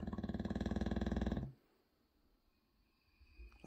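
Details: A sleeping 6-year-old English Bulldog in Bodmin, 23 February 2023, lets out a deep, rapidly pulsing, jackhammer-like snore, a low rattle lasting over a second, then falls quiet as a man's voice is faintly heard.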